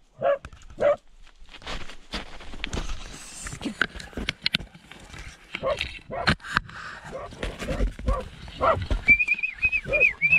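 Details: Terrier in a badger tunnel, two sharp barks near the start, then scattered yaps amid human voices, rustling and thumps, with a thin wavering whistle-like tone toward the end.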